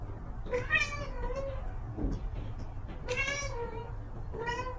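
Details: Domestic cat giving three drawn-out, harmonic meows, the first two close together and the last one after a pause, over a steady low hum.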